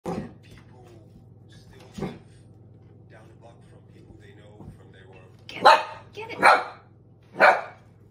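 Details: Dog barking at an empty soda bottle it treats as a threat: three loud, broad barks close together near the end, after a quiet stretch with a couple of soft sounds and faint speech, over a steady low hum.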